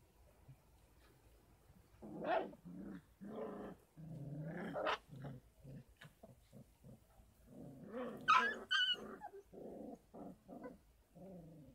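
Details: Several 33-day-old Kangal puppies on a dog farm, their mother's milk supplemented with formula and goat milk. A dense run of low growly grunts and whimpers comes fast, rising into a burst of sharper squeals near the end.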